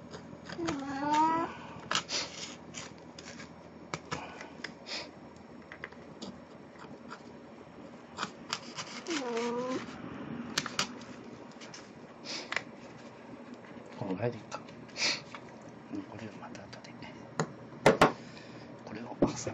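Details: Indoors on 1 April 2017, pet cat Plan in a Snow White costume, an encore after her birthday party, makes three short, wavering meows spread over the stretch, with talking, rustling and sharp clicks between them.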